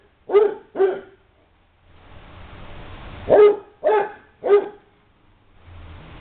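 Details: Basset hounds in play at the Light From The East Kennel: two loud barks in quick succession, a brief lull of low noise, then three more deep, resonant barks about half a second apart.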